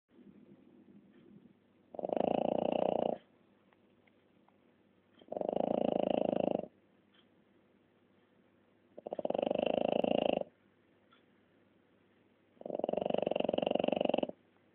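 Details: French Bulldog snoring: four long, rough, fluttering snores about 1.2 seconds each, spaced roughly every 3.5 seconds, with quiet breathing between them and no other clear sounds.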